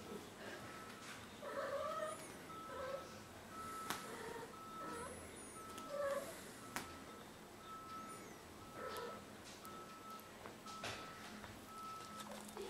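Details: Female cat Burcia, six months old and from a shelter, during her first heat at home; faint, wavering meows recur every second or two, with a steady electronic tone running underneath and occasional clicks.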